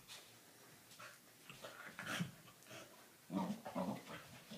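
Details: Indoors, a Doberman puppy and a corgi, Dartanian and Vaida, wrestle roughly; quiet scuffling gives way to two louder rumbling growl bursts near the end.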